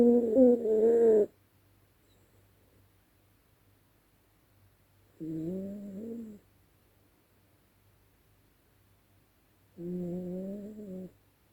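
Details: Sleeping at night, Dezi the dog gives three whiny, nasal snores about a second long, spaced roughly four to five seconds apart, the first loudest, in a quiet room.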